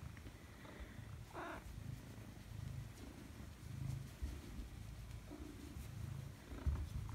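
A Maine Coon cat welcomes its owner home with a short, bright meow. A low, continuous purr-like rumble runs underneath, with a few quieter chirps and household noises.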